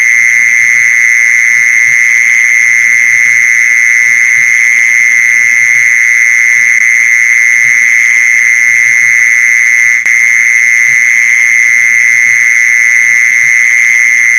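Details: Long unbroken buzz of a mole cricket, sounded to attract mole crickets, staying level and intense throughout, with a brief click around ten seconds and a soft low background hum.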